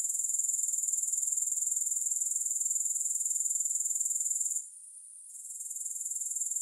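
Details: Continuous high-pitched grasshopper chorus without music, an even metallic trill throbbing roughly four beats per second, briefly fading out for under a second before returning at full strength.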